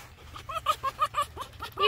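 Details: Finnegan, a pet fox, chatters while being scratched: a rapid string of short, harmonic yips, about six or seven per second, rising and falling in loudness, with a person's voice nearby.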